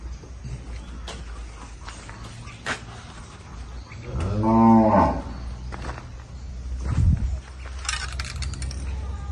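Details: Young purebred Indubrasil bull in El Salvador lowing once, a rich harmonic moo of about a second rising then dropping, followed by a short low grunt, over steady low rumbling background noise and scattered clicks.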